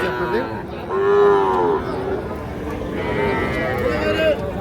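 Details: Cattle at Ambari market, Parbatipur upazila, Dinajpur, a twice-weekly livestock market selling small bulls and heifer calves; a strong mid-pitched moo, then a fainter second lowing call, over a steady murmur of market crowd noise.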